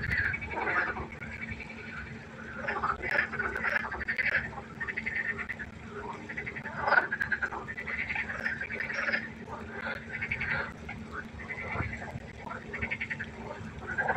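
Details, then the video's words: Frogs by a pond at night, a quieter scattered chorus of short croaks and clicks from several animals, steady low hum in the background. "1 Stunde Froschkonzert. Frosch Geräusche quaken."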